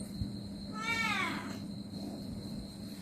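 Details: A pet cat receiving a massage lets out a single clear meow lasting about half a second, its stacked harmonics arching up and then sliding down, with quiet room hum and no other sounds.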